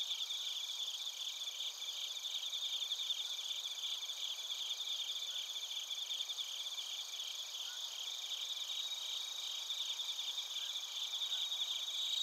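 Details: From Narita in Chiba Prefecture, Japan, a chorus of bell crickets and crickets: unbroken high trilling with faint rhythmic pulsing beneath steady ringing tones, captured on a TASCAM Portacapture X8, nothing else audible.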